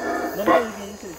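A howler monkey gives a brief, hoarse, guttural call that swells to a peak and fades.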